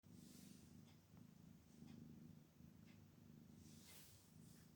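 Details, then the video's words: Kittens stretching and yawning while purring: a steady low rumbling purr throughout, with faint soft rustles and small higher-pitched squeaks in the background. "Kittens Stretching and Yawning"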